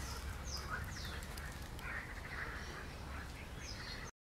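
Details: Frogs croak among reeds on 15 June 2020, a steady chorus of rough, quacking croaks, with thin high bird chirps (a blackbird's voice noted) and a low rumble of wind behind.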